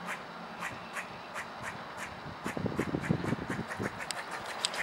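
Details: A squirrel, recorded on 4-12-16, gives a steady run of short, hoarse, quack-like barks about twice a second; the recorder suspects he was the cause of the calls.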